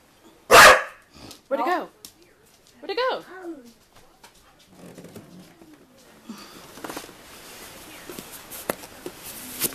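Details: Dog barking while chasing a soccer ball, possibly scared of it: one sharp, loud bark, then two shorter, rising-falling tonal barks, followed by quiet indoor noise and faint rustling.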